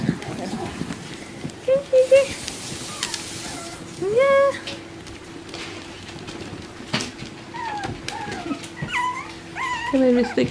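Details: Bichon Frisé puppies from litters O and P at a kennel, giving short high whimpers and yips, some rising and falling, scattered through the recording between low murmured speech and soft household noise.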